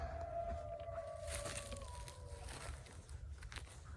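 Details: Distant coyotes coming out just on the other side, heard outdoors, give long, steady, slightly falling howls over a low background rumble.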